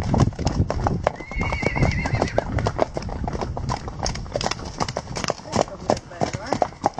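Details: Wild horses: a wavering, high whinny lasting about a second rises over steady clip-clop of many hooves, with speech-like sounds also present.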